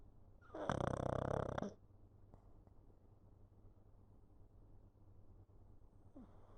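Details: Pug sleeping on a lap, recorded 11 November 2022: one loud, rasping snore lasting about a second, broad and harsh, followed by quiet room hum and a faint soft noise near the end.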